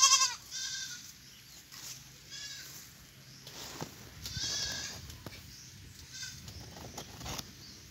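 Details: Young goat kids on a farm bleating noisily, unwilling to stay in their nursery pen and complaining about mud; several short harmonic bleats at irregular intervals, with clicks, knocks and a steady high hiss in the background.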